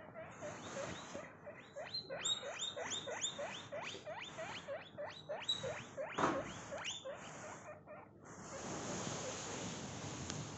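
A baby guinea pig gives a rapid run of high, squealing wheeks, each sliding sharply up in pitch.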